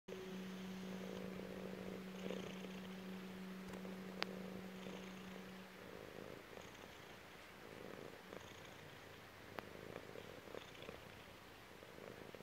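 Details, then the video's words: Chubby female cat purring while lying on her owner's belly indoors; soft, low rumbling purr in rhythmic breathing cycles, partly masked by a steady electrical hum during the first six seconds, with occasional faint clicks. "CAT PURR"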